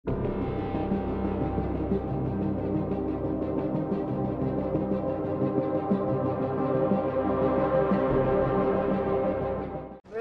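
Dense, droning ambient music with gong-like tones and no animal voices.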